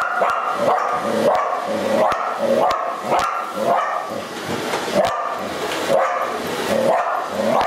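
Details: A Border Collie called Kailie barks repeatedly at the household vacuum cleaner, wanting to approach yet avoid it; rapid barks roughly twice per second, in bursts, against a constant vacuum roar.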